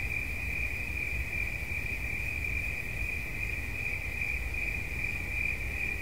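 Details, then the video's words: Single cricket tone trilling continuously at a high pitch, slightly pulsing and unbroken, with soft low-frequency rumble beneath. "Świerszcz. Dźwięki relaksacyjne"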